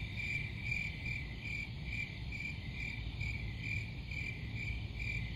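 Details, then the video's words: Cricket chirps pulse in short regular bursts, roughly two or three per second, high and shrill above a steady low rumble. "Crickets Sound"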